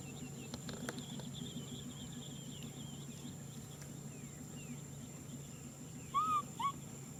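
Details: A baby macaque named Nui Simon calls out wanting a hug: after a quiet spell with faint clicks, two brief tonal cries come close together, the first arched and the second shorter, over low steady hum.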